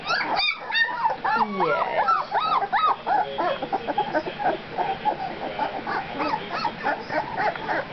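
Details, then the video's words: Litter of two-week-old puppies, a burst of loud arched squeals in the first seconds, then fainter, busier whimpering from several pups continuing beneath murmured talk. "The pups at 2 weeks!"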